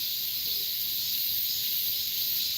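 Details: Cicadas sing in a steady, high, shimmering buzz in a cool late-summer morning on the grounds of Heungcheonsa temple in Korea, having sung through the night into the morning.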